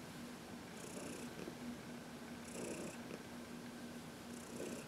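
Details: Heidi, a 14-year-old senior domestic cat adopted from the Humane Society of New York City, purring contentedly while massaged in the sun; steady low rumbling purr with soft breathy pulses recurring about every two seconds.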